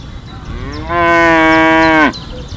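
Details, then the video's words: A cow gives a single sustained moo, steady and rich in harmonics, rising in loudness then cut off sharply after about a second, with faint background hiss and distant chirping. "Funny animal sounds: Elephant, cow, chicken, horse, duck, dog, cat"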